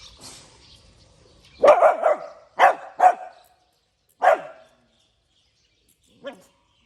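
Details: Morning barking from a puppy: a quick double bark, another pair of sharp barks, then a single bark and a faint final yip, with brief silences between bursts.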